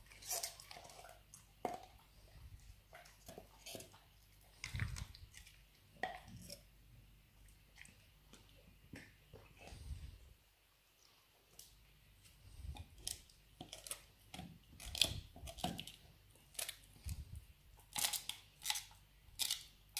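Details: Labrador Retriever Nero busy with his dried beef rawhide bone indoors; long stretch of uneven crunching and sharp cracking bites, a brief lull midway, then bursts of louder gnawing toward the end.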